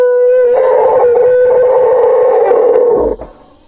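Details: Scared baby elephant, thought to be about four months old, trapped in a ditch without its mother while men rescue it: a loud, steady, tonal squeal held for about three seconds, then fading, with men's voices behind.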